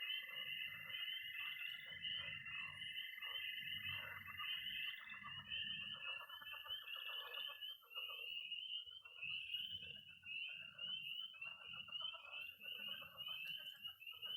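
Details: Early spring night chorus in Missouri of peeping tree frogs, croaking pond frogs and high-pitched trilling toads. A dense band of rapid high peeps runs throughout, a steady shrill trill holds for the first five seconds, and lower pulsed croaks sound beneath.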